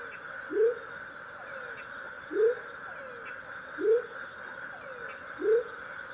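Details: Smoky jungle frog male (Leptodactylus savagei) at Tayrona National Natural Park gives four brief rising whoop notes spaced roughly 1.5 seconds apart, with faint downward slurs between them and a constant buzzing insect chorus behind.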